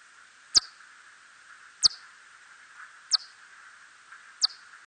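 A red bat gives sharp, high clicks that sweep downward, repeated roughly every second and a half.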